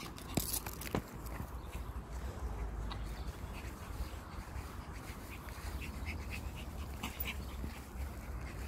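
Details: Ponçik, a female Pomeranian, panting outdoors near bushes during a game of fetch with a ball; soft breathy bursts repeat steadily over a low rumbling background, with a couple of sharp clicks early on.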